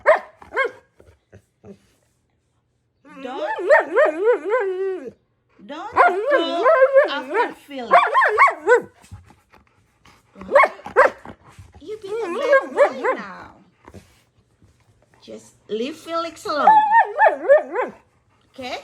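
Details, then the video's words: Husky malamute holding a chatty back-and-forth with a woman coaxing it to eat cooked carrot: long bursts of wavering, warbling woo-woo vocalizing in several phrases, her voice heard between them. "Best talking dog videos"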